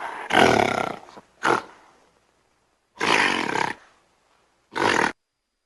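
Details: Gorilla giving four harsh, broadband roaring bursts: the first and third last nearly a second each, the second and fourth are shorter, with brief silences between them.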